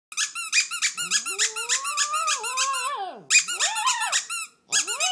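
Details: Pet Shih Tzu singing to a squeaking toy indoors in a small room: rapid high squeaks from the toy repeated several times a second, with the dog's wavering, rising and falling howl-like whine beneath, pausing briefly then resuming.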